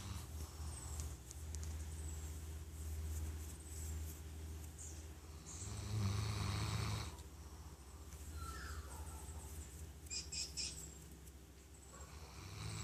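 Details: Baylee, a 13-year-old Golden Retriever, snoring while asleep: a low, rough, rapidly pulsing rumble that swells and fades in slow waves. Birds chirp faintly in the background throughout.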